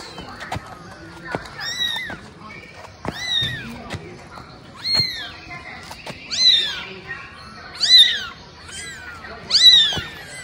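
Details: High, clear kitten meows, trained for 17 days and crawling alongside its owner, each a short rising-then-falling cry every one to two seconds, growing louder toward the end, with soft taps and clicks between.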